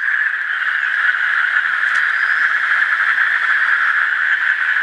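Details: Asian common toad calling: a steady, high-pitched pulsing trill that runs unbroken through the whole stretch, with no pause in rhythm and only faint background hiss.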